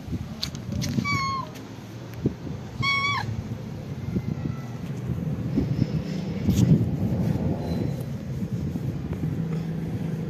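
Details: Two short falling meows from a calico cat, about two seconds apart, against steady low traffic noise with faint clicks and bumps.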